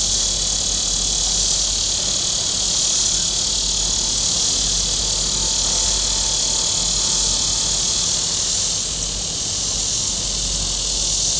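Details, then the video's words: Cicadas calling from the shore of Table Rock Lake, southern Missouri, on a very warm day: a loud, continuous hissing drone that eases slightly toward the end, with faint low boat rumble beneath. "Boating Lake Sounds and Cicadas"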